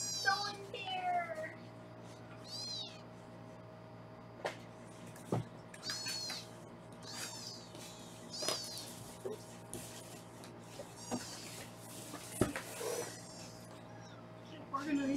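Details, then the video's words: Several foster kittens in Los Angeles mew while being weighed indoors: high, thin, arching meows come in scattered bursts every couple of seconds over a steady background music bed with light handling clicks. "Foster Mom Sarah Weighs the Kittens"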